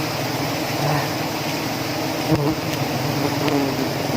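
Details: Giant honey bees at their nest while the honey is being harvested. A dense, steady buzzing drone fills the whole recording with a low hum beneath it, broken only by a brief knock near the middle.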